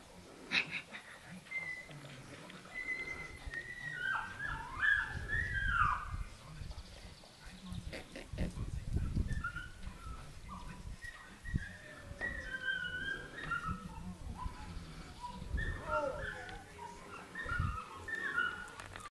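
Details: Dogo Canario puppies from a litter dated 09.06.09 make faint, high squeaks and whimpers scattered across the recording, amid low rumbling handling noises.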